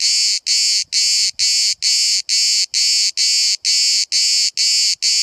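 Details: Close-up cicada song at Bodrum in Turkey, one insect a few centimetres away: thick buzzing bursts pulsing regularly around twice a second, bright and hissy, with slight handling noise underneath.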